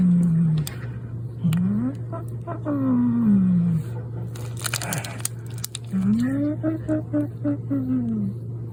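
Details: Chamu the cat growls after stealing food from the refill for the automatic feeder: rising and falling low moaning growls, broken by a brief noisy rustle in the middle, in a small indoor room.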